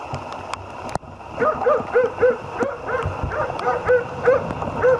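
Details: Otis, a Jämthund out on a moose hunt, gives a run of short, hoarse barks roughly twice a second after a sharp knock near the start, with soft rustling and outdoor noise around.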